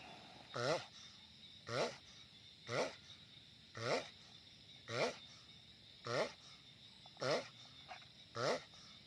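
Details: Giant sulcata tortoise sounding off loudly with eight evenly spaced, short, nasal groaning calls, each with a bent harmonic pitch, repeated about once a second in a steady rhythm.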